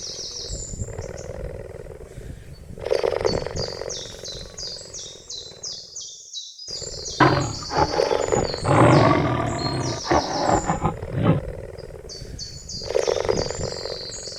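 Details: A cheetah gives rough, rasping growls in bursts, with busy high bird chatter in the background.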